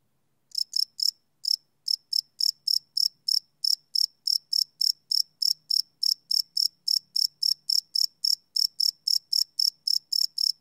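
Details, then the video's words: At night a cricket chirps in quick, shrill pulses, starting after a brief silence with a few uneven bursts, then settling into a rapid steady rhythm of about three to four chirps a second; recorded live in the field. "Cricket Chirp Sound - Cricket Sounds at Night"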